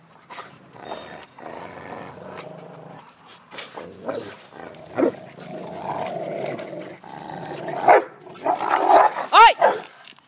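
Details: Pet dogs Elly and Bandit playing tug of war while Major watches from Bandit's side; rough, rumbling growls rise and fall through the struggle, with sharper whiny yelps near the end and a person talking in between.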